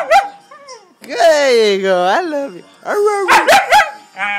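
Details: Kobie, a 4-month-old white Siberian husky puppy, talking to its owner: drawn-out, wavering howl-like yowls that rise and fall, then short yelping bursts, with a person repeatedly saying "love" and "good boy" around the calls.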